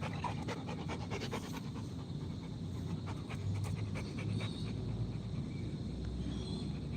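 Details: Rottweiler dog panting in steady, rapid breaths, a soft rhythmic huffing over a low background rumble, with faint scratchy noises in the first second and a half.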